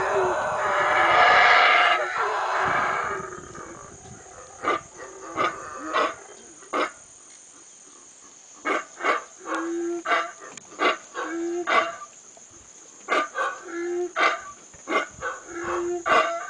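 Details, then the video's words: Howler monkeys at Bocas del Polochic, Guatemala: a loud, hoarse roaring howl swells over the first three seconds, then gives way to a long run of short, rhythmic guttural grunts in quick pulsed bursts, over a steady high insect hum. "Howler Monkeys"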